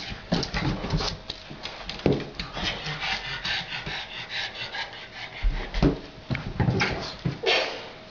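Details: Pet pug Otis playing with a balloon: short breathy snorts and huffs come in uneven bursts, mixed with scraping and rubbing noises from the play.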